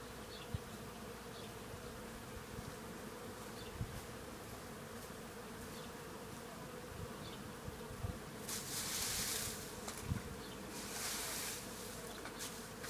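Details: Numerous bees eating from tree flowers at a farm, a constant humming drone underneath, joined by scattered soft ticks and two loud bursts of broadband rustling noise in the second half.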